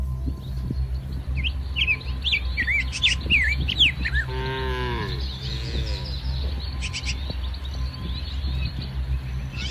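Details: A herd of tame cows wanders through a muddy rice field, grazing in the morning. Quick, twittering bird calls come first, then a single drawn-out moo, all over a constant low background hum.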